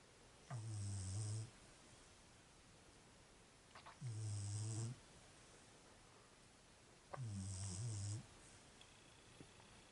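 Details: Sleeping female Beagle snoring indoors: three slow, rasping breaths, each about a second long, low and rumbling with a hissy edge, spaced roughly three seconds apart in a quiet room.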